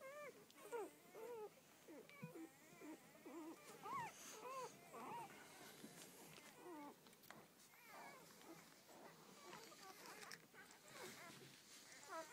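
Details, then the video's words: A litter of twelve newborn Rhodesian Ridgeback puppies, their mother's first, squeal and whimper continuously in overlapping bent notes, with some soft human voice mixed in and rustling. "My Rhodesian ridgebacks first litter"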